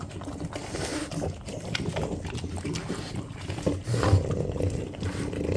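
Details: French Bulldog family of three females (grandmother Ume aged 7 with a hernia, mother Roku aged 6, daughter Yuki aged 8 months) competing for egg soboro; low, rough snorting grunts come in uneven bursts, with a louder snort near the end.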